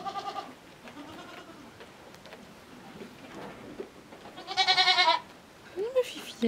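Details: Petite Pelotte, a small female miniature goat kid at Les Tourelles, follows on foot to suckle her mother, who accepted her only after several days. Loud, harmonic, wavering bleats come at the start and again near five seconds, with a soft coaxing human voice between.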